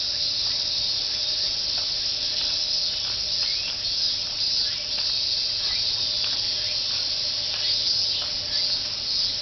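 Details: Cicadas singing together in summer at Fuchinobe Park, heard while walking the jogging course, their cry written as a repeated 'miin-miin'; a dense, steady, high buzzing hiss that never pauses, with faint short ticks and a low steady hum beneath.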